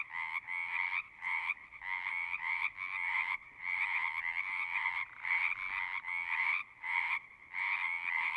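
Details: Pond frogs in a horse pasture chorus in bursts, recorded on a Zoom: half-second to one-second trilled croaking spells separated by short silences, stopping and restarting irregularly.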